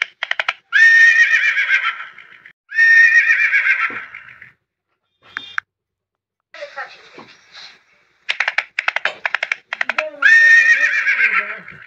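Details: Horses whinnying: repeated loud, shrill, harmonic neighs, each about one and a half seconds long and tapering off, separated by rapid pulsed rattling bursts and softer broken calls.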